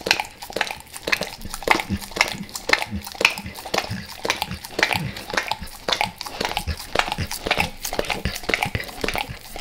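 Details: Max, a dog, devours natural peanut butter and peanut butter oil before leaving El Paso; rapid wet licking and smacking clicks repeat almost twice a second, close and steady, with no other clear sounds.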